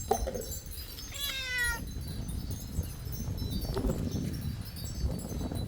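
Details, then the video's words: Pet cat meowing as it grabs food: a short, clear harmonic meow early on, with steady low background rumble and a few fainter sounds afterwards. "Grab food and this cat roasts beef amazing viral meowing"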